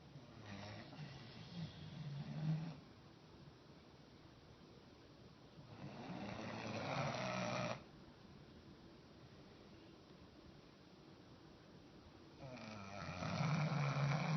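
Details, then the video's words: Roscoe the dog snores while sleeping upright: three grating, low-pitched snores of about two seconds each, separated by quiet pauses of several seconds, indoors. "Roscoe snoring standing up"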